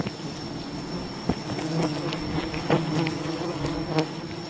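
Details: Many wild bees humming at their colony while honey hunters work, a low droning swarm sound with a few loud clacks near the start and end, plus a faint unbroken high tone.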